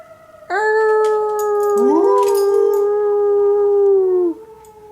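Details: Schnauzer howling with a tornado siren during its monthly test: a sustained, steady howl lasting nearly four seconds, a rising wavering cry joining midway, over the siren's even droning tone, ending with a downward slide.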